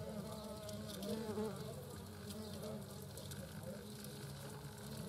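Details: Queen and worker European hornets at the nest, Eifel, 2022. A dense, humming buzz holds a low pitch with wavering overtones and a brief louder surge near the one-second mark.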